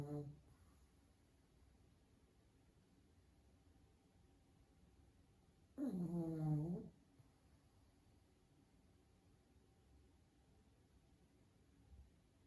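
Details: Sleeping pug dog indoors, tired after a day of play, giving a single loud, rattling snore in the middle of a long quiet stretch of soft room noise.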